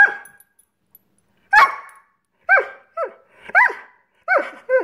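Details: Scott Free, a Greyhound frustrated that dinner is late, lets out a sharp bark followed by a string of short, high, arching yips spaced about half a second apart in a small room.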